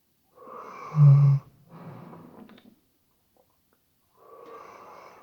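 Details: Weimaraner asleep indoors, RODE NTG3B microphone: soft airy breath builds into a sharp, deep, buzzing snore of under half a second, followed by a quieter rough exhale, a pause of silence, then breathing resumes.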